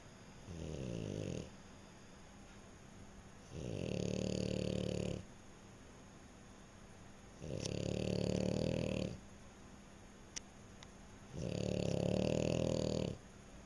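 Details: French Bulldog snoring while sleeping: four rough, rumbling snores, each about one and a half seconds long, come roughly every four seconds with a raspy hiss on top, and the quiet room is almost silent between breaths.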